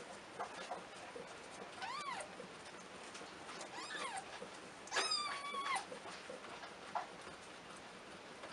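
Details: Domestic cat mother nursing her kittens indoors; several short, thin, high mews rise and fall in arched sweeps, spaced about a second apart, with one longer quavering mew midway, over a low background hiss.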